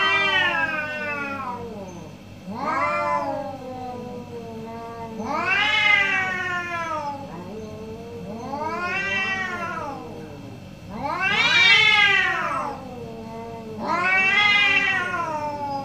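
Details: A pair of orange cats trading calls in the morning: six long, wavering meows and yowls arriving every two to three seconds, some loud and bright, others softer, over a constant low hum.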